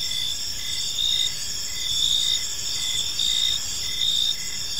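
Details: Crickets chirping in a park on an evening, a steady high shimmering chorus with pulses swelling roughly every second, layered high tones over a faint low background rumble.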